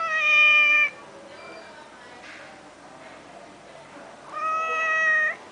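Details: At a resort in Langkawi, a domestic cat gives two long, steady, harmonic meows, each close to a second, with a faint murmur filling the pause between them.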